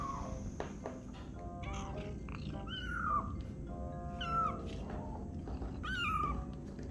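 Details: Tiny kitten meowing because it wants attention from a person: a string of five short, high, downward-sliding mews roughly once a second, over quiet background music.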